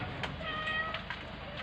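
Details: Stray cats escaping from a cat house: a short, steady meow with stacked harmonics holding an even pitch for about half a second, over a constant low hum of background noise and traffic.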